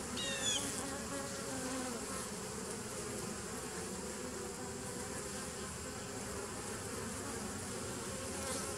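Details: Honey bees recorded on 27 September 2018, a steady dense buzzing drone with stacked low tones around 200 to 500 and continuous broadband hum, no breaks across the recording.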